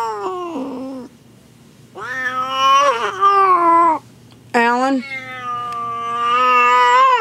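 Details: Domestic queen in labour with a first litter inside a room she would not leave; repeated long, bending yowls that rise and fall in pitch, breaking off then resuming, loud and harmonically rich.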